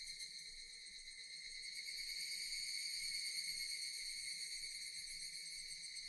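Japanese cicadas drone in a dense, shimmering buzz that holds steady throughout.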